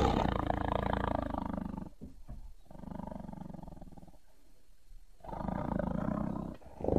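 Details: Tiger growling and roaring in low rumbling bursts with strong low harmonics, two long spells separated by a quieter gap, then a final swell.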